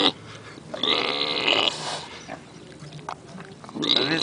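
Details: Pig snoring while dreaming at Pioneer Village in Phoenix: rough, breathy rasping snores in noisy bursts, one long drawn rattle early on and another rising at the end, with a thin whistling edge.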